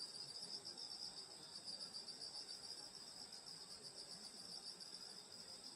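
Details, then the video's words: Grass insects singing on a summer night in the countryside at a grandmother's rural home: dense, steady high shimmering trills in layered bands, continuous and unbroken, with a faint low rustle beneath. "여름소리 풀벌레소리 시골밤소리"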